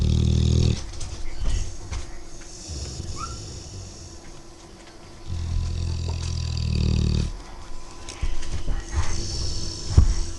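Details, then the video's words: Dogue de Bordeaux puppy dozing and snoring loudly, likened to a locomotive; deep rumbling snore bursts at the start and again around five to seven seconds, with softer, quieter breaths in between. "Бордоский дог спит и поражает своим храпом"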